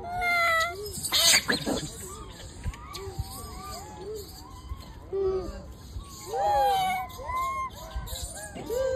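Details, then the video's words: Wild macaques: a baby crying loudly after being bullied by its mother, giving arched, wavering tonal cries that rise and fall, with a loud broadband burst near the start and a steady high insect or bird drone behind. "The baby monkey was bullied by the mother monkey and cried loudly"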